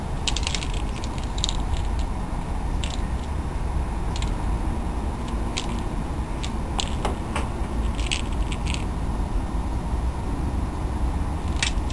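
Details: Constant hiss with irregular sharp clicks and ratcheting creaks, like gears or a mechanism turning, and no animal voice.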